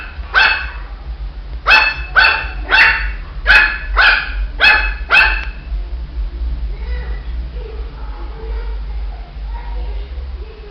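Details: Shih Tzu puppy letting out a quick burst of about eight high, sharp barks, nearly two per second, then quieter indoor sounds and a person talking.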